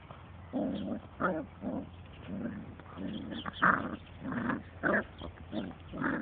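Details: Dandie Dinmont Terrier mother named Lady playing with her puppies: a run of short, rough growling bursts, about one every half second to second, each breathy and mid-pitched with brief pauses between.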